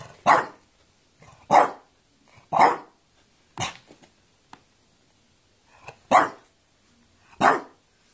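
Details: Quarrelling French Bulldog barking six times in short, harsh bursts, roughly one per second at first, then a pause and two more barks, with faint low grumbles between.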